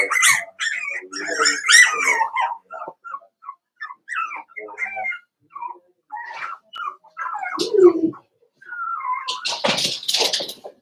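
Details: Indoor puppy pen holding Daisy's five-week-old Cavalier King Charles Spaniel puppies, heard as thin, rising whimpers and short squeaks in scattered bursts, with a lower squeal and a rush of noise near the end.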